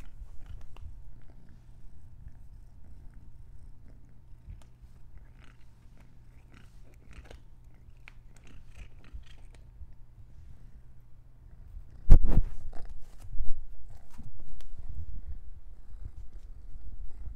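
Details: Orange domestic cat purring in a steady, low, continuous rumble for most of the recording. Loud rustling and crunching noises follow near the end.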